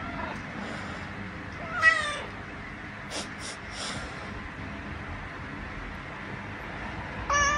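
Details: Mishu, one-year-old male house cat who demands cuddles, protests loudly after his owner moves away mid-snuggle: a few brief meows, one louder mid-pitched cry near two seconds, another at the end, with rustling of bedding between.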